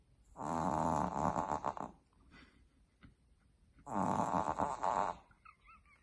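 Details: A female Boston Terrier puppy snores loudly in her sleep, almost waking herself: two long, harsh, rattling rasps, each over a second, with quiet pauses between and a faint squeaky note at the end.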